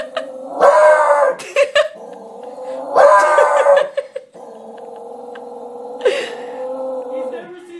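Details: Dog indoors, frightened of its own reflection in a closet door, howling and barking at it; long wavering howls alternating with harsh barking bursts about every three seconds, in a small room.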